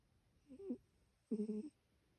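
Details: Asleep indoors, the cat Ryu makes a soft wavering snore followed by a louder, steadier droning breath, both short and low-pitched, against a quiet room.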